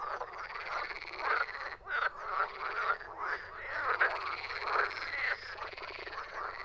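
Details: Many frogs croak together in an unbroken chorus of grating, rhythmic pulses. Louder calls stand out about once a second over the busy background.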